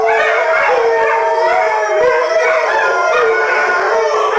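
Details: Malamutes from a pack of six howling together while their owner asks them to sing; overlapping wavering voices create a thick, unbroken chorus with short quavering inflections.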